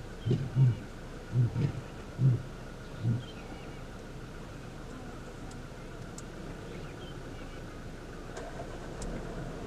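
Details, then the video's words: Male lion in a territorial dispute at the start of a takeover, far southern Kruger National Park, morning: four deep, low grunting pulses in the first three seconds, fading in strength, then only a steady low rumble of background noise. "Big male lions in a Territorial Dispute!"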